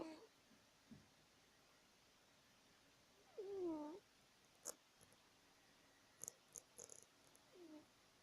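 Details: Cat asleep indoors, snoring: one clear tonal, whistly snore mid-recording and a fainter one near the end, with scattered small clicks and taps in between.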